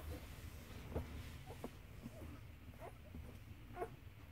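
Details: Malinois x Bavarian Mountain Hound puppies, Asa and Bones, giving soft, short whimpering squeaks, several brief rising yelps spread through a quiet background with low rumble.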